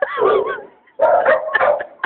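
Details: Earl, a six-month-old St. Bernard puppy nearing 100 lbs, resists being coaxed into a bathtub indoors. He gives a wavering, whining howl that slides up and down, then a rougher burst of yelping vocal sounds, with a woman's coaxing voice mixed in.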